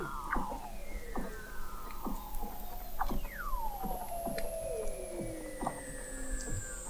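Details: Weddell seal vocalizations beneath the sea ice of McMurdo Sound, Antarctica, recorded in November 2017 from an observatory 21 m down; long sliding descending whistles, a sweeping downward trill and scattered sharp downward chirps.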